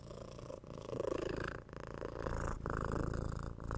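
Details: A six-month-old kitten purrs through head scratches and cuddling, captured with a 3Dio microphone; a loud, throbbing low purr in pulses of about a second, briefly dipping between breaths, with light rubbing sounds.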